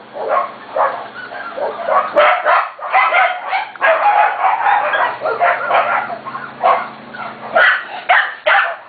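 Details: Almost seven-week-old Corgi puppies from two litters making a commotion: dense, overlapping high yaps and barks, almost continuous, with a few short whimpers and a faint hum beneath.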